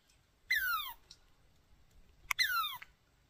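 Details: Chipmunk described as angry gives two harsh, downward-sliding squeals, nearly two seconds apart, with a faint click just before the second, otherwise quiet.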